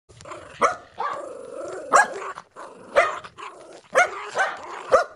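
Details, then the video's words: Angry black dog barking loudly, harsh barks roughly once a second with growly drawn-out snarls between them, no other sounds. "Black dog 🐕 barking sound|| angry 🐕 barking"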